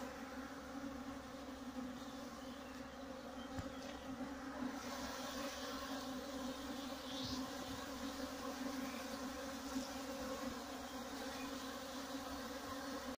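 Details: Many honey bee drones fly inside a drone flight cage used for drone rearing and selection, their wingbeats blending into one continuous low buzz that rises and fades slightly as bees pass close.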